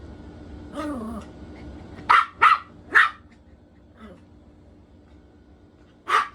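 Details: Poodle playing hide and seek gives a short whining, sliding vocal, then three loud barks close together, quiet, and a final single bark.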